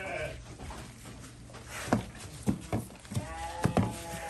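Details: Goats being fed: a short harmonic bleat at the start, then scattered knocks and chewing-like clicks, with a steadier wavering bleat near the end and faint voices in the background.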